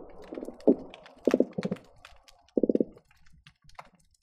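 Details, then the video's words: Croakers recorded underwater by hydrophone at the Marina Drive bridge between Long Beach and Seal Beach on a busy day: four short bursts of low, rapid knocking pulses, like a purring drumroll, separated by pauses, with scattered sharp clicks and snaps. "Seal Beach croaker sounds"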